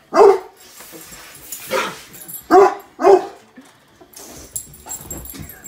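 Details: Cane Corso dogs playing with a balloon for the first time: three loud, deep barks near the start and middle, with broadband thumps and rustling between them.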